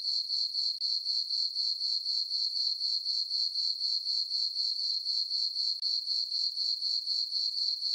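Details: High, ringing cricket chirps from a meadow on a farm on a calm summer night under a full moon, beating steadily around four pulses per second with only a brief dip.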